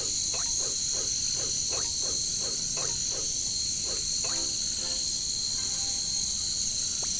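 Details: Katydids (bush crickets) in a jungle, a steady, dense high buzzing drone layered in bands, with low croaking frog calls repeated roughly every third of a second underneath.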